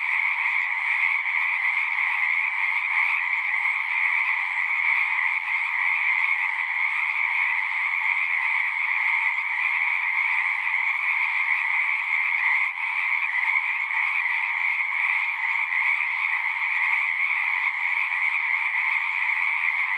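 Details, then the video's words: Pond frogs in a horse pasture singing as a group, recorded on a Zoom 6; a thick, even wall of rapid trills, bright upper band over a lower one, sustained without a break for twenty seconds. "Frogs singing"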